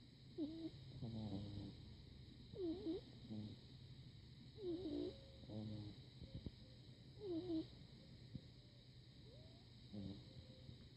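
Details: Barney, a pug puppy, asleep after a trip to the park, snores in squeaky, wavering nasal bursts with whistly rising and falling tones, returning about every two seconds over a steady low background hum.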